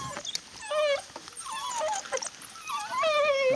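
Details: African wild dogs feeding after killing an impala; high, bird-like twittering and whining calls from several animals, wavering chirps and squeaks overlapping throughout, a person speaking briefly.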